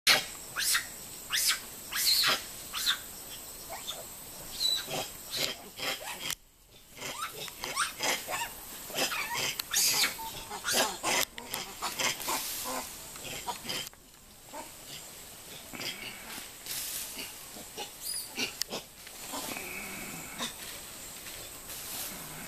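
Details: On 8 July 2012, a troop of more than ten Formosan rock macaques plays and scuffles around the recordist, giving sharp, harsh squeaks, chirps and chatters in quick, irregular, overlapping bursts, with rustling between calls.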